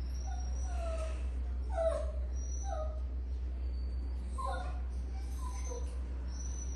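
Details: A Shih Tzu puppy at a kennel in Bengaluru gives short, high, falling whimpers and yips about once a second over a low hum.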